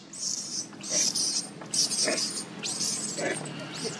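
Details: Shrill, piercing cries from a hungry baby monkey, Leo, begging its mother for milk, with four long, high screams, some rising or arching in pitch, closely following one another.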